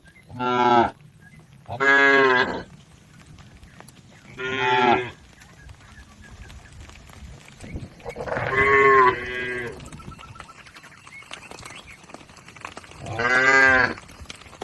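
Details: Domestic village cattle grazing as a herd in a green field: five loud harmonic moos at irregular intervals, each about a second long, over quiet background.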